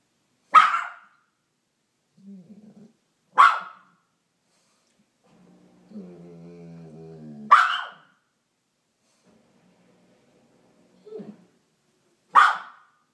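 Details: Two dogs, a teacup Maltese and a Bernese mountain dog, in a back-and-forth "conversation": four sharp, loud single barks roughly three to four seconds apart, with soft whines and a low wavering groan between them in a quiet room.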